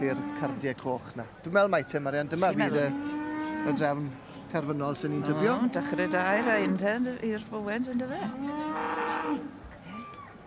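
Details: Senior Hereford bull at a show lowing repeatedly: deep, drawn-out moos with wavering pitch, some overlapping, with voices and general show-ground chatter around.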